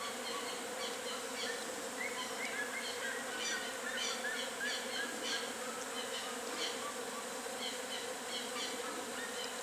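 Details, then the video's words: Western honey bees at a natural nest in full activity produce an unbroken, rich buzzing drone; scattered short high chirps sound faintly over the hum. "ABELHA-EUROPEIA colônia (APIS MELLIFERA), HONEY BEES, Colmeia natural em plena atividade"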